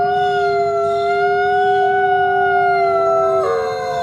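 A coyote gives a long, steady, mid-pitched howl that breaks and drops near the end.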